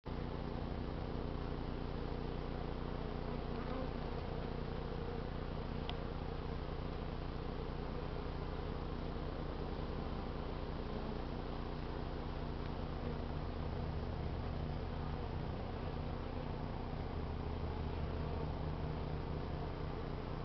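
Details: Honey bees robbing out a trap-out hive in an attic, neighbouring foragers joining in and fighting; a dense, continuous low buzzing drone fills the whole recording with steady intensity and no pauses.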